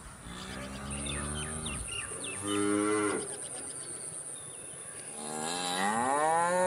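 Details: Cattle mooing: a long low moo fading out, then a shorter rising moo, and a final rising drawn-out bellow climbing in pitch, with chirping birds and crickets in the background.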